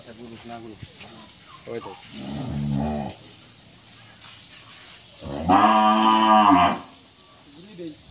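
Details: Friesian cow, in her second lactation and kept with her bull calf on a farm in Pabna, Bangladesh, gives a low moan, then one long, loud, rich moo lasting over a second; men talk in Bengali before and after.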